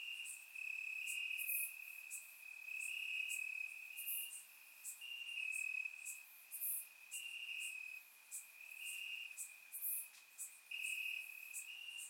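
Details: Nighttime crickets chirping in summer grass in Bulgaria, recorded in surround sound; an unbroken high-pitched trill rises and falls in loudness while many quick, sharper chirps overlap above it.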